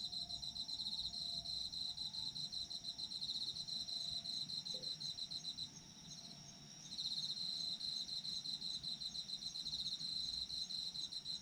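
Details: Autumn insects in full chorus, a rapid pulsing trill over a steady piercing tone with faint lower whistles; a gap of about a second in the trill near the middle before it returns.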